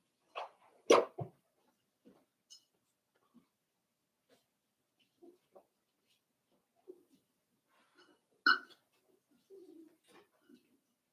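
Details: Five-week-old Cavalier King Charles Spaniel puppies in Daisy's puppy pen make scattered short squeaks, grunts and snuffles. One sharper, higher yelp stands out late on, with quiet stretches between the sounds.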